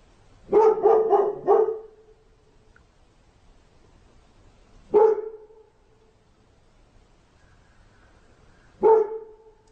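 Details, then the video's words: Dog gives a quick cluster of three or four sharp barks, then two lone barks about four seconds apart, each ending in a short ringing tail; otherwise quiet. "GERÇEK KÖPEK HAVLAMASI"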